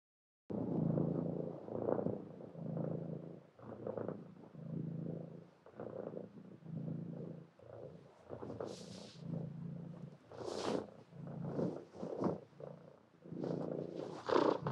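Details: Low, pulsing cat purr broken into short breathy phrases, with several brief hissing bursts like sniffs or rustles toward the end.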